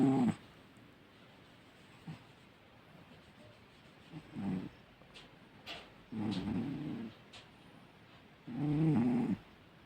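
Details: Domestic cat snoring while asleep: low, rough, breathy bursts come every two to two and a half seconds, with quiet hiss between them.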